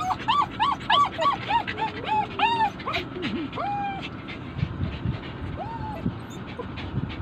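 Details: Poodles whose owner has gone shopping inside Uniqlo cry in a rapid run of high, arched whines, several per second, then slower drawn-out whimpers and a falling yelp, with mall crowd murmur and rumble beneath.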